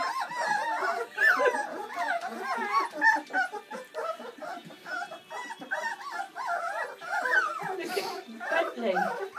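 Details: A litter of seven Bernese Mountain Dog puppies, born Valentine's Day 2013, at their first feed on Mothering Sunday, squeal and whine in a dense, continuous chorus of wavering cries while people talk over them.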